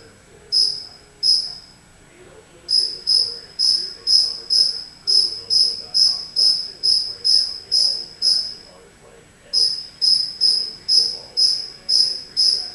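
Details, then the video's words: A cricket inside a house gives two isolated chirps, pauses, then settles into a steady run of piercing high pulses around two per second, stops briefly, and resumes; soft murmuring indoor noise lies underneath. "Cricket Chirping"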